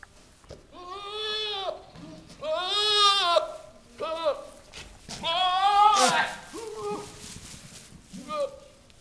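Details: Two newly arrived Nigerian Dwarf goat bucks, with a few does in heat in the barn, give loud, wavering bleats and screams during the rut, at times almost monkey-like.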